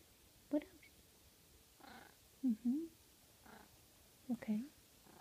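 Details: Russian Blue cat named Blue in sleepy pillow talk while napping and kneading, giving soft, low chirping trills in three quick pairs, each a short rising-falling murmur, answered between them by a person's gentle whispering.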